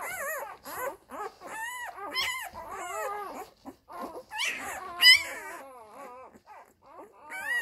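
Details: Labrador Retriever puppies from the F litter suckling from their mother Molly, a little one in a grey collar among them; loud, arching whimpers and squeals tumble over one another, with a few sharper yelps near the middle.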